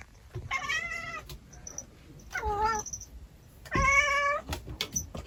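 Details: Three separate meows from Kotetsu, a pet cat living at home. The first is level and sustained, the second is shorter and drops slightly in pitch, and the third is a strong, even wail. There are soft indoor noises between them.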